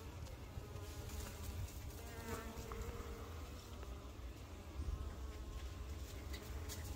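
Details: Busy working honey bees giving a continuous deep buzzing drone, even in loudness, with layered humming tones and a faint swell around the middle.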